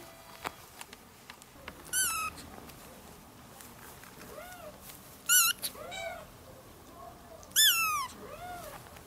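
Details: Orange kitten calling its mother while playing: three loud, high-pitched, rising-then-falling meows spaced roughly every three seconds, with softer echoing mews between them over a quiet room.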